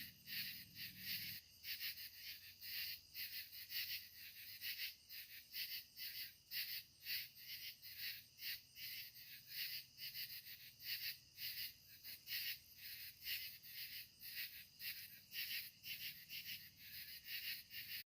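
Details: An evening chorus of katydids at sunset: harsh, raspy high-pitched pulses repeating in a steady, overlapping rhythm.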